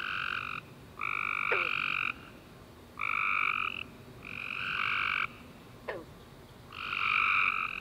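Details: Chorus of tree frogs at night after a rainy, warm summer day: rhythmic buzzy trills roughly a second long alternating with brief gaps, and two quick descending chirps cutting through.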